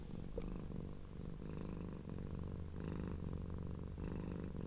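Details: Female blue and cream tortoiseshell cat leGrey enjoying being stroked, purring loudly in appreciation; a deep vibrating purr that swells and eases in breath cycles about every second and a half.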